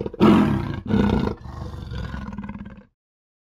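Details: A leopard (Panthera pardus) gives two deep, rough roars, followed by a quicker series of rasping, sawing grunts.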